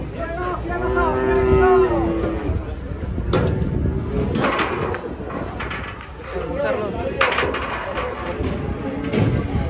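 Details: Fat cattle (sapi lemu): a short steady moo opens, then gives way to clattering knocks, people talking and scattered noise.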